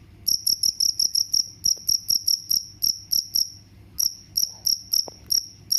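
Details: Cricket chirp sequence presented as a mouse repellent sound: bright, shrill chirps repeated roughly three per second, growing more spaced out after a short gap midway, with faint low rumble behind.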